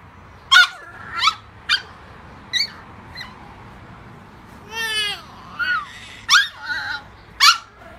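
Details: French Bulldog puppy, 10 weeks old, vocalising alongside a 4-month-old baby: a series of short, high, rising whines and yelps, with one longer wavering howl in the middle, about eight calls spaced roughly a second apart.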